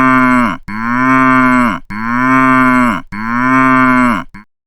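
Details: A cow (Bos taurus) gives several long, deep moos, each one sagging slightly in pitch before breaking off.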